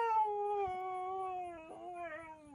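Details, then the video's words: Siberian Husky, one of several in a funny pet compilation, giving a long drawn-out howl that slides slowly downward in pitch over two and a half seconds, with a brief wobble near the end and a rich stack of overtones. "Funny Husky Videos Talking"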